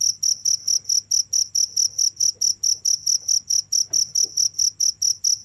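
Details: Continuous cricket calling, a bright high-pitched chirp pulsed in a steady regular rhythm, nearly two pulses each second, over a quiet low hum.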